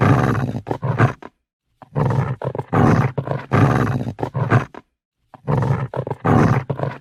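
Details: Deep, gravelly growling from an angry dog, delivered in choppy snarling bursts with two short silent breaks, low rumble dominant throughout.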